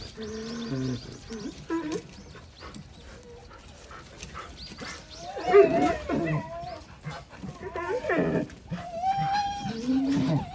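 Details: Jindo dog Wanggeom, shown ignoring a rattle toy: drawn-out wavering whines and howl-like cries that rise and fall in pitch, coming in bursts, with a person talking between them and faint chirping in the background.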